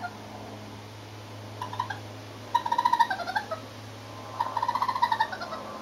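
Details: Close-range baby raccoons from an urban family of four on a terrace: loud pulsed trills, each falling slightly at its end, in three bursts over a low steady hum.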